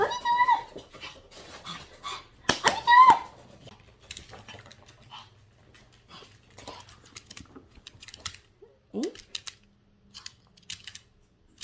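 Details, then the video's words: Yorkshire terrier at home welcoming returning family after time apart. Two loud rising-falling whimpering squeals open the clip, followed by a long stretch of quieter shuffling, small clicks and faint soft sounds in a small room. "혼자서 집 지키다 가족들이 왔을 때 강아지의 반응은?"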